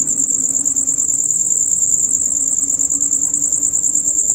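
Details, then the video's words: Male crickets chirping loudly and rapidly in a dusk-to-dawn chorus; a shrill continuous pulsed trill dominates, with a faint low steady hum underneath. "Crickets on Concert"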